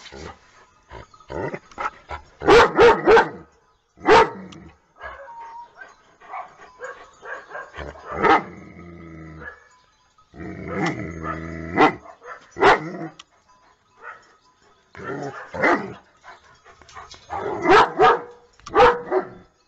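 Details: Happy pet dogs barking out loud for fun, a series of sharp, punchy barks in irregular bursts with short pauses, some barks doubled or tripled in quick succession, broken by a longer stretch of lower, drawn-out vocalizing.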